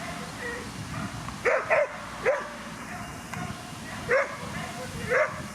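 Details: Whippets at a racing competition, Twin Cup 2017 in Latvia; sharp, high yelping barks, some in quick pairs, ring out over a steady crowd and outdoor background rumble.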